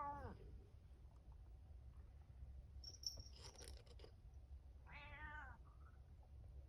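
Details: Pet cat at night meowing indoors: a short falling meow at the start, some rustling and a faint high tone midway, then a stronger drawn-out harmonic meow near five seconds, over low steady hum.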